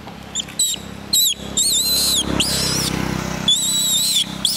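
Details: Baby monkey crying and calling to its mother for help: loud, high-pitched squealing cries, some arching and falling, others held and wavering, coming in quick repeated bursts with brief gaps, plus soft rustling beneath.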